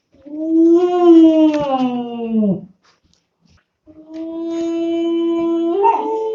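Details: Two-month-old German Shepherd puppy howling twice: a rich, slightly rising then falling howl of over two seconds, a second of silence, then a steady howl that breaks upward into a higher note at the end.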